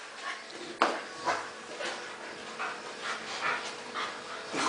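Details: Two dogs at play, a Golden Retriever called Rea and an American Bulldog called Shikana: a sharp knock, then breathy, noisy huffs and pants come in short bursts about every half second against a low steady hum.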